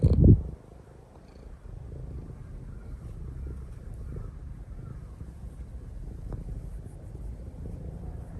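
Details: Pet cat kneading and snuggling affectionately on its owner's lap, giving a continuous deep purr that holds evenly, with only a brief thump at the start and faint handling noises.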